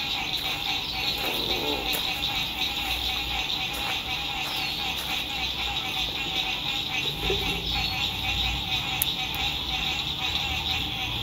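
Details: Sunset frog chorus at a lake in spring, recorded at a lakeside RV camp: continuous overlapping pulsed trilling in a high band over a lower droning layer, with a few brief bird-like sweeps and low rumbles from distant traffic and campers.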